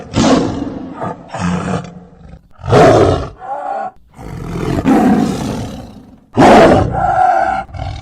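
A tiger gives loud, rasping roars and growls in broken bursts a second or two long.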